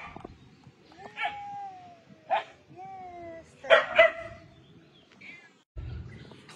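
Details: Puppies being fed and cared for at home give several high, drawn-out whines that slide gently downward, mixed with short sharp yelps and barks at irregular intervals, with a person speaking nearby.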